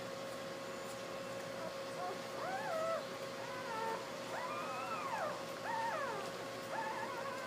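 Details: Newborn Basset Hound puppies lying with their mother, a day after their 30 April 2012 birth, whine in repeated high arching squeals, several overlapping, each swooping up then down, with a constant mechanical hum underneath.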